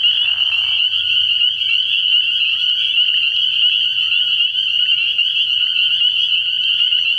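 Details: Spring peepers calling at night in early spring at a frog pond: a dense, unbroken chorus of high, shrill peeps blurring into one steady ringing band, with a brief lower raspy burst near the start.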